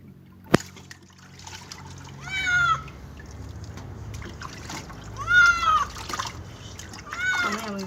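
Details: Cat at its first bath crying three times, each a high, wavering meow that swells and drops, spaced about two and a half seconds apart, with water trickling and splashing and a sharp knock near the start.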